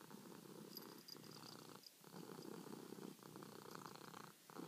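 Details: House cat purring at night while kneading and seeking petting: continuous rough low purr in alternating in-and-out breaths with brief pauses, plus faint high clicks.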